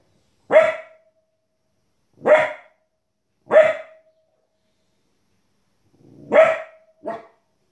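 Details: Female Border Collie puppy, 15 weeks old, barking at wolves and other animals on TV: five sharp single barks spaced one to two seconds apart, the last one shorter, with silence between.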